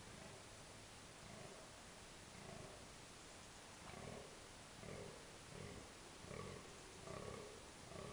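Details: A red deer stag gives deep, groaning rut bellows in short bursts over a steady hiss, at dusk in October 2014 at park Berg & Bos.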